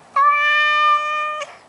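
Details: A pet Maine Coon cat, reluctant to leave his favourite garden bush, lets out a single drawn-out meow over a second long, flat and even in pitch, full and nasal, ending abruptly.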